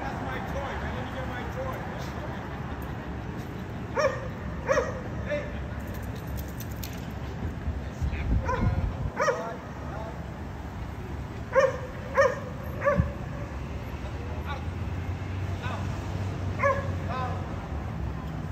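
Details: Dogs at a condominium disturbing the neighbours with barking that recurs three times a day; short bursts of clipped barks break out between quieter stretches, with voices and a low hum in the background.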